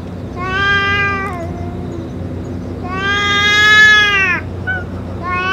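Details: Stray boss cat after a meal with medicine: a level meow, then a longer, louder arching one, and a short rising call at the end, over light low noise.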